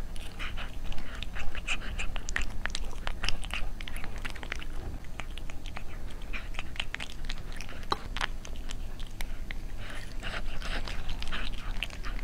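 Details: Cat eating indoors, chewing and crunching food in quick uneven bursts of sharp clicks, louder around the first few seconds and near the end, over a constant low hum.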